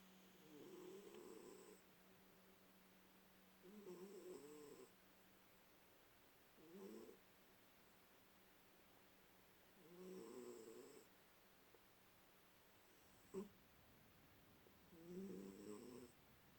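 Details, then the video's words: Domestic cat asleep upside down after a tummy rub, snoring softly indoors: five soft, rasping snores, each about a second long, spaced roughly three seconds apart, with a faint steady hum in the background. "Upside Down Snoring Cat"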